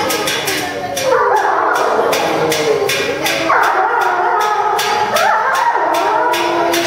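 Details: Captive timber wolves at Tama Zoological Park, Japan, September 2015, howling in unison after feeding; layered sustained howls that rise and fall, with fresh howls starting around one, three and five seconds, plus regular clicking noises in the background.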